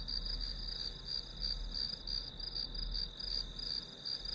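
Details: Grass insects keep up a shrill, continuous trill broken into rapid pulses, about three per second, steady throughout, with a low rumbling background.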